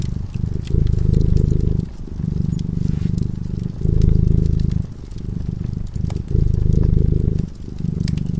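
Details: Rhythmic low purring from a cat dozing beside a crackling fireplace, loud phases alternating with softer inhale phases every one to two seconds, accompanied by faint intermittent crackling of burning wood.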